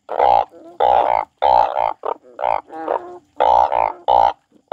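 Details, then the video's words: Frog crying: loud, nasal, harmonic croaks in short bursts, often paired, repeated about every half second with brief silent gaps between groups. "The frog crying"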